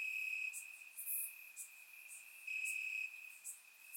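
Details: Summer-night crickets chirping in grass in Bulgaria, captured with a surround microphone: a steady piercing trill, a louder surge midway, and occasional crisp high ticks.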